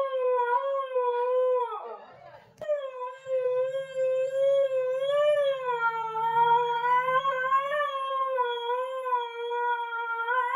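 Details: A pet Siberian husky, Nasi, howls almost continuously, a steady mid-pitched tone with clear overtones that swells and wobbles slightly, interrupted by one brief rough catch near the start; a low hum runs beneath.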